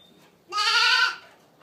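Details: Boer goat kid from registered mothers giving a single strong, steady, nasal bleat lasting about half a second, rich in harmonics, against a quiet background.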